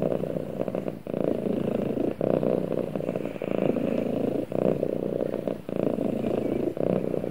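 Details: A cat purrs while snuggling with its owner, a dense, even low vibration interrupted by quick breathing gaps about once a second.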